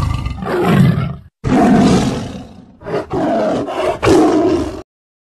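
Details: Tiger. A tiger roars in several deep, throaty bursts, rough and growling, with short pauses between them. The roars swell quickly, hold for about a second, then cut off sharply.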